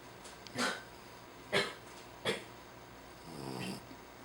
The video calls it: いびきをグーグー、珠雄君 ジャックラッセルテリア Jack Russell Terrier